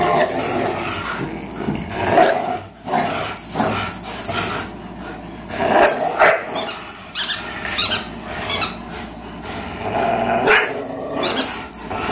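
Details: Greyhound Fox and German Shorthaired Pointer Miles, both three years old, tugging indoors: rumbling, rasping growls rising and falling in waves, with brief quieter gaps between efforts.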